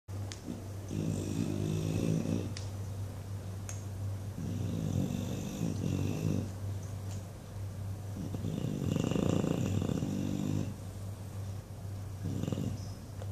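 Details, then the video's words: English Bulldog named Buddy asleep indoors and dreaming, giving loud flappy snores: four rough, buzzy snore bursts, each one to two seconds long, separated by quieter breathing over a steady low hum. "Flappy Bulldog snoring and dreaming"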